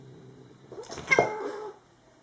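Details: Domestic cat indoors, wanting to swim and playing; a short strained meow-like cry about a second long, rising then falling with a bright harmonic stack, in a quiet room.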